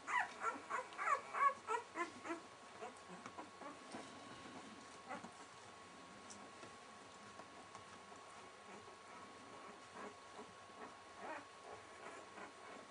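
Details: Welsh springer spaniel puppies six days old with their mother, giving a run of thin high squeaks and whimpers repeated about three times a second, fading after a few seconds into quiet room noise with occasional faint squeals.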